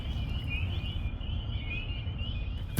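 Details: In early spring, in rainy weather, a distant chorus of frogs, thought to be spring peepers (Pseudacris crucifer), comes from a swamp by a boardwalk in Ontario: high shrill peeps blurring into a steady trill over low rumble.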